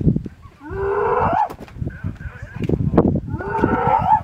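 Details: A sub-adult spotted hyena trapped inside an elephant carcass and harassed by lions gives drawn-out, rising, strained shrieks of terror with low grunting and rustling. Maasai Mara, 10 March 2022.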